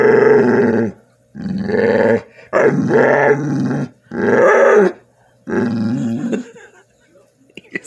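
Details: Pet bull terrier begging for food with a series of five long, moaning, growly 'talking' vocalizations, each lasting about a second, delivered in quick succession with brief gaps, ending with faint clicks.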